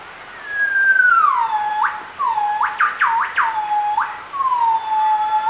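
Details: Gibbon duet recorded at Bioparc Fuengirola, a pure whistled note sliding downward, then a burst of rapid swooping up-and-down notes, followed by more long falling whistles.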